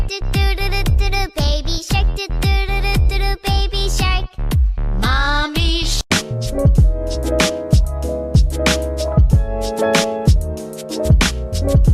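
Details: Electronic music with a steady beat, sampled tones and synth melodies plays throughout, with no animal voice heard.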